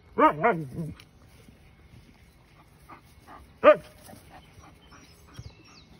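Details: A Siberian Husky talking to its horse neighbour, giving a quick pair of warbling, yodelling vocal bursts, then quiet, then one more rising-and-falling howl-like cry, with faint rustling between.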